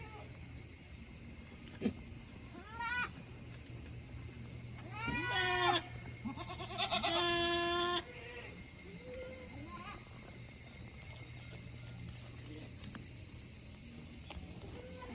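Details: Farm goats in Yoshigake, Himi, Japan, on a hot 8 August 2021, waiting for a chance to return to their shed. Several bleats come from more than one animal: a short one, then longer wavering cries, then soft grunts and a faint click.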